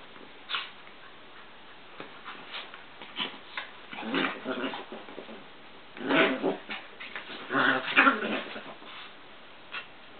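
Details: Play-wrestling Chihuahuas Joey and Papi inside a work room give gruff growls and brief yappy vocal bursts, clustered in two noisy spells with quieter gaps, while paws scrabble and patter between them.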